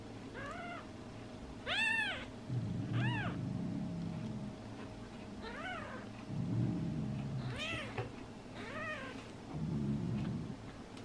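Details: Tiny meows from 12-day-old kittens, short arched squeaks with bright overtones repeated every second or so, with soft low rustling bursts between calls.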